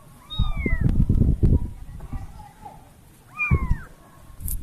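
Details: Kitten separated from her family giving two drawn-out rising-then-falling meows about three seconds apart, amid heavy low handling noise and muffled human voices.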